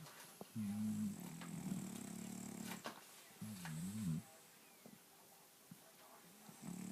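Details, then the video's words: Sleeping French bulldog named Louie with loud, vibrating snores: a flat rumble followed by a wavering, rising-and-falling snort, then quiet breathing. "Louie the Frenchie - now that's a snore"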